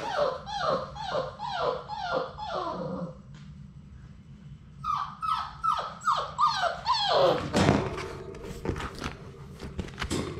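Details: Labrador Retriever puppies from a litter of six, playing in their puppy play room and attacking a GoPro camera up close: runs of short, high, falling yelps and whimpers repeated about twice a second, with thumps and bumping against the camera.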